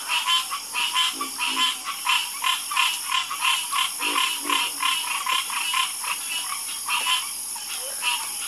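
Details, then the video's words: Many frogs croaking in a night chorus, quick pulsed croaks repeating about every half second in an uneven rhythm, over a steady high-pitched background hum. "Calming Sound Of Harmonious Frog Croaking"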